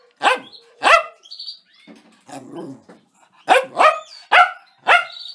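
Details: Dog barking, from a compilation of funny dogs and puppies: sharp, loud barks, two together, then a soft rumbling gap, then four more in a quick, uneven burst.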